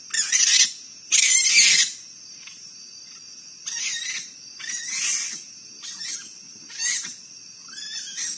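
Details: Raccoons fighting at night in Akron, Ohio, captured on a live animal cam; harsh, shrill screeches and squeals come in bursts, the loudest two in the first two seconds, then shorter cries every second or so over a steady high insect drone.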